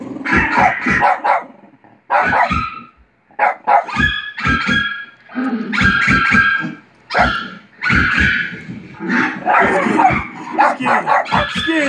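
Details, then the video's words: Pet dog Buster reacting to barking dogs on TV: rapid clusters of sharp barks, two or three at a time, with brief gaps and some overlapping yaps from the television. "Buster barking at dogs barking on tv"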